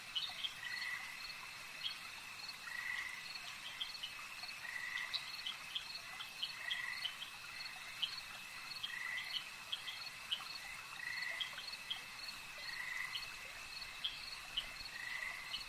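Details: Lakeside frog chorus: brief raspy croaks repeat about every two seconds over a continuous shrill insect drone, with scattered faint clicks and chirps throughout.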